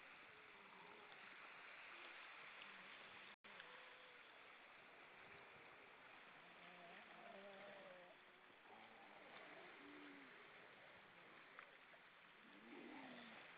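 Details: Evening chorus of grey seals on Vilsandi rocks, Estonia, October 2012: many low hooting and moaning calls, some wavering and arched, others short and level, overlapping throughout beneath a heavy, steady hiss with one brief dropout.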